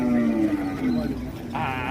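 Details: Giant Pegon cattle at a crowded Indonesian cattle market: a low, steady moo held for about a second, then a second shorter low note, over market chatter and background bustle.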